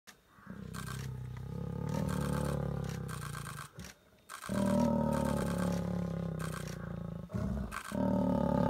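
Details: Wild lions mating in Gir Forest, Gujarat, India, giving deep, drawn-out harmonic roars and growls in long bursts of several seconds, broken by brief pauses, with a rough, throaty rumble throughout.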